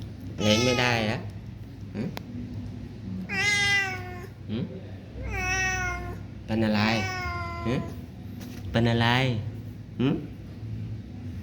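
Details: Thai street cats being fed, meowing repeatedly: five long, harmonic, wavering meows spread over about eleven seconds, some rising then falling, with a person talking to the cats in Thai between calls and faint background music.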